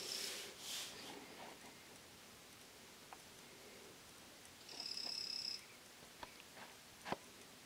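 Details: Three-striped poison frog, the Greenback form of Ameerega trivittata, calling in the early morning: after faint scattered ticks, a single clear buzzy tonal note with stacked overtones holds for under a second, then a few soft clicks follow.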